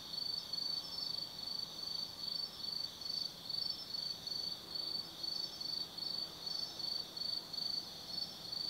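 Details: Insects of an autumn night singing in the Tsukimi no Mori woods, Gifu, Japan, 180 m above the Nobi Plain: rhythmic bursts of shrill chirps at a steady pace of about two and a half a second, layered on a faint ringing drone.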